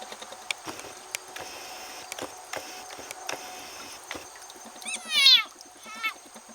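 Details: Frog caught and being eaten by a snake in a goldfish pond, making a strange noise: a loud burst of harmonic, downward-sliding squeals near the end, then a shorter squeal, over faint scattered clicks and ticks.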